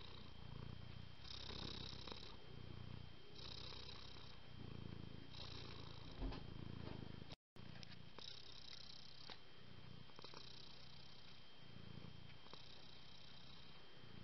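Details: Domestic cat purring close up: a low, rumbling purr that swells and eases in a steady rhythm of about one pulse per second, with a brief dropout midway and a faint constant hum underneath.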